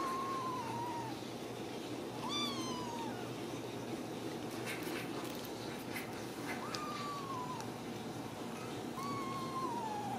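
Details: Home-raised Ragdoll kittens at a cattery in central Kansas, kept without cages, giving drawn-out mewing cries that rise then fall, four calls spaced a few seconds apart, against a constant background hum and soft rustling.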